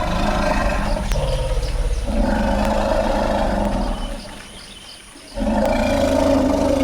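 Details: Possibly as many as 80 African forest elephants at a bai clearing in the Central African Republic give deep, throbbing rumbles and drawn-out roars.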